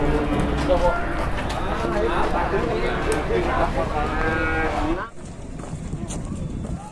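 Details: Large Ongole crossbred (PO) cattle brought to market in Indonesia, described as agitated: loud, drawn-out moos with rich harmonic tones overlap for about five seconds, then stop abruptly, leaving low background market noise.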